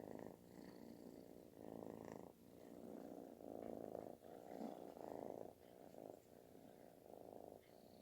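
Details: Kitten purring loudly, like snoring, while seeking affection; a steady rumbling purr that swells and fades in breaths roughly every second, with faint higher rustles above.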